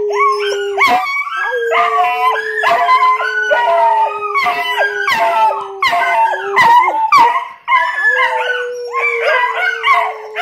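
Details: Several pet dogs howl together after their owner howls at them, their voices breaking into repeated wavering, yodel-like bursts stacked in bright overtones over a steady low drone, with short gaps between phrases.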